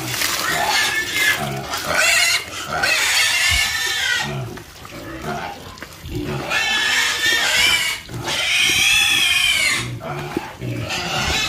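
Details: Pigs raised on a farm squeal loudly in two long, wavering, high-pitched bouts, the first early and the second later, separated by quieter grunts and shuffling.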